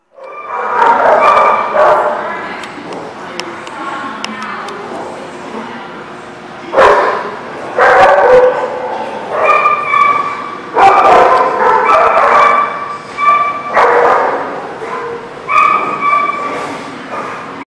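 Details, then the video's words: Several dogs barking at a dog park or kennel lot in January, loud overlapping barks and yips in bursts, some higher yelping, with quieter pauses between flurries. "The Barking Lot"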